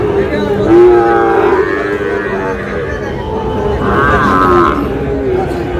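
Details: Sahiwal bull calf at a busy Chattogram cattle market in Bangladesh, 2 July: two short, harmonic lowing calls a few seconds apart, the second higher and wavering, amid men talking and market bustle.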